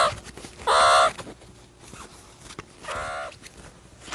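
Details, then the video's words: Meerkat calling: one loud, strained, harmonic call near the start, then a second softer, similar call about two seconds later over faint background hiss. "MEERCAT SOUND EFFECT 미어캣 울음소리"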